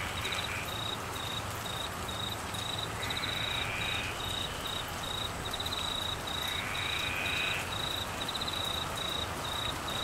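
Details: Crickets chirp in steady, rapid high-pitched pulses over the constant hiss of heavy rain during the northern Australian monsoon season (December to March) in Queensland, with flooding.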